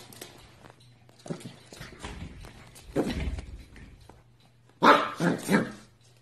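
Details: Dog barking indoors in a small room: a few scattered barks early on, then a louder burst of three quick, sharp barks near the end, with a steady low hum underneath.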